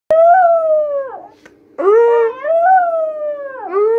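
A Vizsla puppy whines in long, high, wavering cries that slide downward at the ends.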